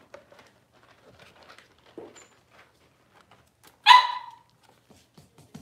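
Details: Six-week-old Cavalier King Charles Spaniel puppies in a puppy pen, being dewormed and having toenails trimmed; one sharp, loud bark rings out after soft indoor rustling and handling sounds.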